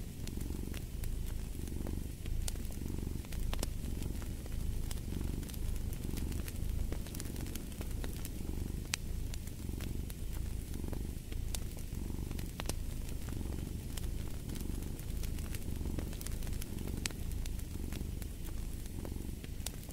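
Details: Continuous deep cat purr pulsing in regular swells roughly every second and a half across the stretch, with scattered bright pops and crackles of burning wood from a fireplace.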